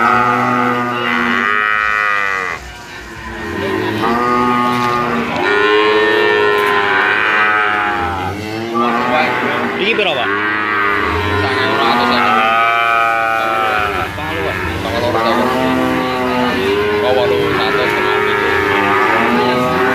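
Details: Heavy sacrificial cattle above 500 kg kept in a weighing pen; dense overlapping moos from many animals form a near-unbroken lowing chorus, with faint talk underneath.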